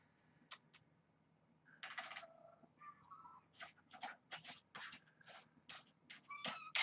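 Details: Kittens of Janine's litter at Purrfect Pals, hungry and playing before breakfast, let out a bright meow falling in pitch, then brief broken mews and a final high squeak, over repeated scrabbling, clicks and bumps.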